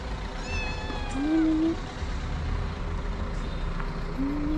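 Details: Stray mother cat with her three kittens being fed; a thin, high, falling mew with faint harmonics, then a lower short tone, over steady traffic-like rumble.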